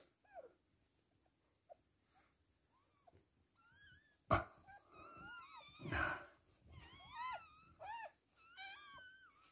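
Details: Toy poodle giving birth to three female puppies: after quiet faint squeaks, a loud thump, then a run of high, thin, squeaky whines that rise and fall, overlapping in quick succession, in a small indoor room.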